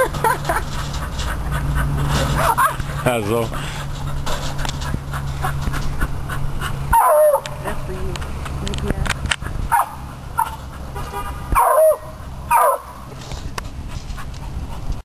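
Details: Beagle Sport, a rabbit hunting dog, worked up by a chipmunk in a trap; a wavering whine early, then several loud sharp barks in the second half over a steady low hum, with a person speaking.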